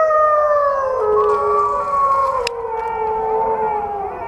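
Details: Wolves howl together in a chorus of overlapping, gently sliding tones, some rising and some falling, with a steady background hiss.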